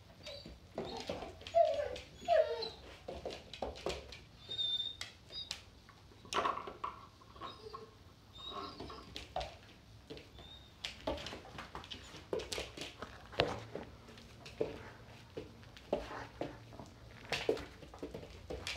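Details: Doberman puppy crying over a new snack indoors: a few short, thin whimpers rise above a steady run of sharp crunching and chewing clicks, with brief pauses between bursts and a low room hum beneath.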